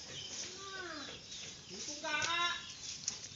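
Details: Mischievous goat gives soft, sliding descending cries, then a strong, half-second harmonic bleat. Light outdoor rustling and hiss sit underneath.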